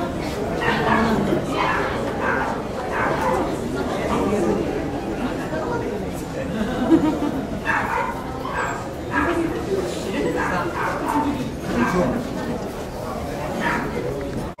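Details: Poodle barking at a Saitama Nishi Honey Poodle Club branch show on 9 June 2008, indoors; short sharp barks repeat about once a second over steady crowd chatter and voices echoing in a large hall.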